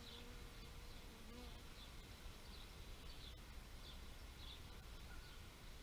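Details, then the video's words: Low, continuous bee drone with a passing buzz near the start and another around one and a half seconds, and faint high chirps repeating about every second. "Bee therapy meditation nature sounds"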